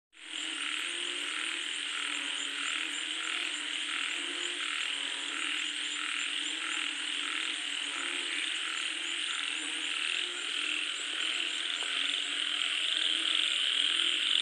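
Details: Frogs calling as rain falls: a dense chorus of rapid croaking notes pulsing about four times a second, layered over a steady high hiss that runs through the whole recording.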